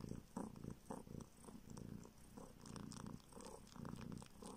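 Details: Homeless kitten, now living in a village in the north of Siberia, sucks a finger seeking milk; a low throaty purr comes in short swells with wet clicking sucks between them.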